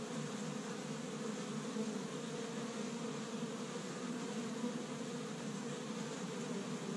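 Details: Spring activity at an established Michigan honey bee hive on the first warm day, workers foraging tree-bud pollen; even, dense humming of many bees throughout.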